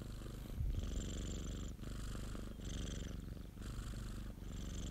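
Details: Domestic cat purring, a rhythmic rumbling vibration in alternating breath phases near a second apart, a short bump of handling noise early on.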